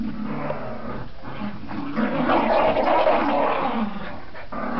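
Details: Border Terrier growling during tug play, a continuous low rumbling growl with rough, pulsing texture throughout, swelling louder near the middle, with occasional scuffling noises from the game.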